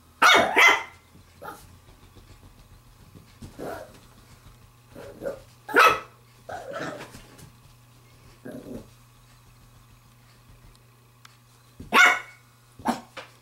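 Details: A female Pembroke Welsh Corgi puppy, 7 weeks 6 days old, playing with a glove, gives sharp, irregular barks and yaps over a steady low hum.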